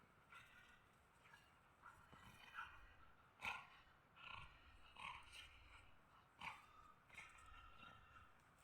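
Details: Pit bull puppy wrestling with an adult husky, taking the upper hand in play; short rough growling bursts with harmonics recur about once a second, each a brief snarl, over a low steady background hum.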